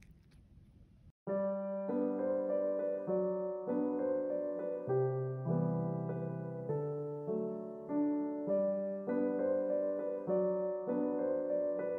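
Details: Gentle piano melody begins after a second of faint room noise, with no animal voice.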